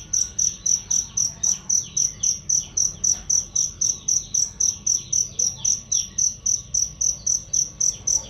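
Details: Cricket sound used for songbird training, loud and clear: a long, even run of high, piercing chirps, close to four each second, with little else beyond faint background hiss.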